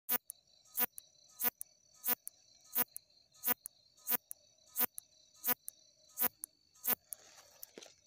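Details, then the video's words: Katydid stridulating: sharp broadband clicks or chirps about every 0.7 seconds, with a steady high-pitched tone running underneath and a faint lower hum. "Stridulation #Katydid"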